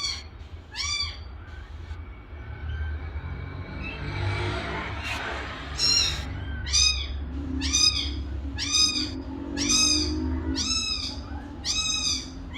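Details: Repeated kitten mews, roughly one per second, short high arched cries; a soft rustling burst interrupts midway and a low hum runs throughout.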